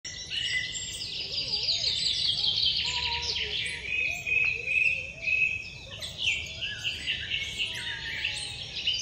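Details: Central American squirrel monkey giving dense, high-pitched chirps and twitters that overlap almost continuously, with softer, lower wavering whistles threading beneath them.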